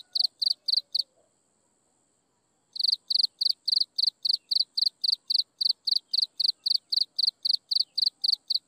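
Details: Insects chirping at sunset. Rapid high chirps stop after four, fall silent for nearly two seconds, then resume as a regular train of about four pulsed chirps per second.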